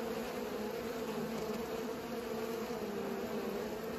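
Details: Steady wingbeat drone from bees at work pollinating, a thick, even buzz with bright humming bands, constant and unbroken.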